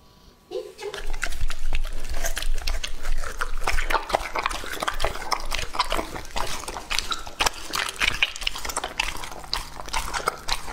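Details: Lucky, a two-and-a-half-year-old male English Labrador Retriever, eats a meal of raw meat. After a short quiet start, dense and rapid crunching and slurping follows, roughly three bites a second.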